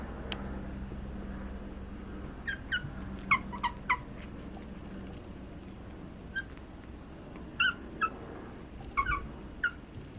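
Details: Young Pomeranian puppies at a breeder give brief squeaky whines and yips. They come in small clusters around the middle of the clip, then again near the end, separated by quiet gaps. A faint room hum sits underneath.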